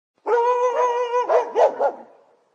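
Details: Barking dog: a drawn-out, steady whining tone lasting about a second, followed by three quick, rough barks in a row, then silence.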